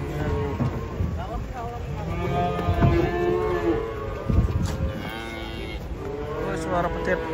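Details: Giant, fat cattle being unloaded from a truck: drawn-out, low lowing moos with harmonic tones, overlapping with people talking and shouting warnings in Indonesian, plus clattering and background music.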